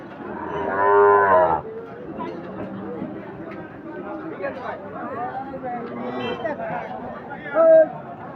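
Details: Sahiwal bull calves for sale at Ambari livestock market, held twice weekly on Fridays and Mondays: one deep, harmonic moo lasting about a second, then a brief second call near the end over steady crowd chatter and voices.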